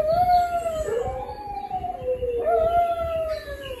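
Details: A pet dog gives two drawn-out howls, the first sliding gently down and the second starting higher before easing lower, smooth and sustained with a soft background hum.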